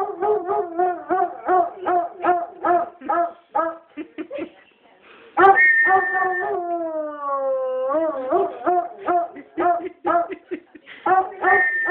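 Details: Foxhound howling in response to a whistle, a run of rapid yelping, bawling notes, then a long sustained howl sliding slowly downward, followed by more quick, choppy bays.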